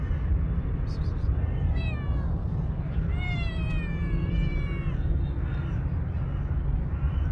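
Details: Stray tuxedo cat, angry in voice and unrelated to an old cat, gives a short meow followed by a long, wavering, whining yowl that slowly falls, with heavy low-pitched outdoor noise throughout.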